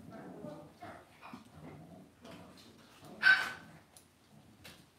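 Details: Cavalier King Charles Spaniel puppies kept in a home puppy pen: quiet, broken whining and grunts, then one sudden sharp yelp before the sounds fade to soft murmurs.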